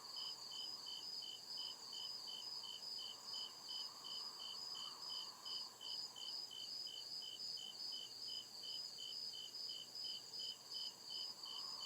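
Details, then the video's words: Crickets in the deep woods at night chirp steadily in high, pulsing trills that repeat without pause. "CRICKET CHIRPING SOUND"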